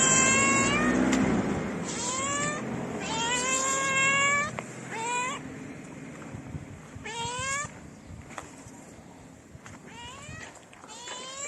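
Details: Stray cats on a city street in Morocco, approaching each other for mating while a hungry one-eyed tabby is nearby; repeated loud harmonic meows, rising then falling, several in quick series, fading toward the end with faint street noise.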